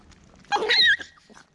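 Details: Poodle giving birth to a litter of seven identically coloured puppies: one short, high, squealing whimper lasting under half a second, with bright overtones and a slight downward bend at the end, in an otherwise quiet room.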